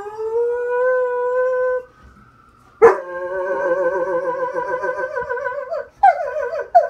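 A Weimaraner howls long and mournfully, its voice wavering up and down, in response to sirens.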